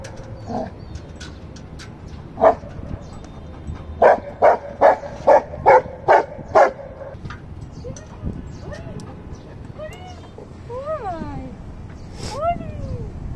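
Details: Golden retriever puppy fighting over a stone, a run of seven quick evenly spaced barks, then rising and falling whines and yelps, with a person's voice in the background.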